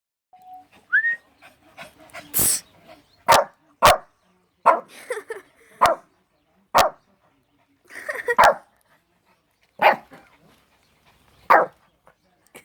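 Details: Shih Tzu barking in reaction to its owner's fake sneezes indoors: short sharp barks repeated roughly every second, interspersed with a person's voice and sneeze sounds.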